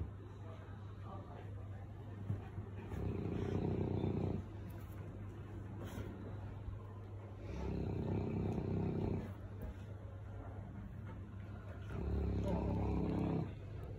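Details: Sully, a pet Boerboel who paws at his owner wanting play and pets, grumbles in three low, drawn-out moaning bursts spaced a few seconds apart, with a woman's voice talking to him in between.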